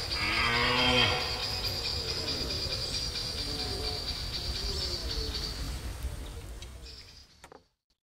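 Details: At Gemenc, a red deer stag gives a deep, hoarse rutting roar, then the air falls to a steady hiss.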